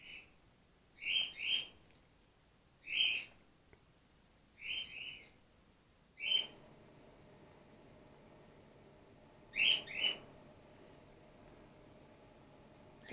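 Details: Grey-headed flying-fox pup Gwickle, in care and bottle-fed while her mother recovers from concussion, gives sharp high chirps, often doubled, in a run of bursts, then falls quiet before one final double chirp; low steady hum underneath.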